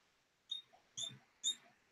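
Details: Pet guinea pigs calling indoors during a livestream; three short, high-pitched squeaks about half a second apart, with faint rustling between them.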